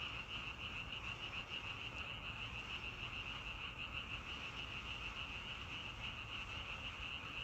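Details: Frog chorus in nature, continuous rapid pulsed croaking held at one high pitch, closely spaced beats repeating steadily, over a faint low rumble.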